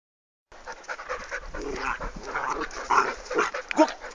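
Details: A three-month-old Golden Retriever puppy playing with its father and brother in Torres, Rio Grande do Sul, Brazil; rough panting and scuffling breaths with small whines, Portuguese speech following.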